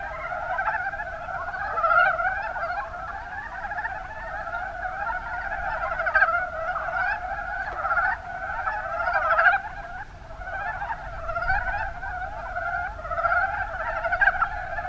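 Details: Many Mountain brown frogs croak together in the Kuma Basin of Kumamoto, Japan; continuous low chuckling chorus with louder bursts recurring every few seconds, individual calls overlapping into a constant rolling texture.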